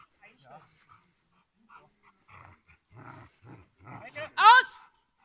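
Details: Giant Schnauzer named Blackmoore Uno during protection work training on 5 January 2019; quiet human voices and short murmurs, then one loud, sharp, ringing bark near the end.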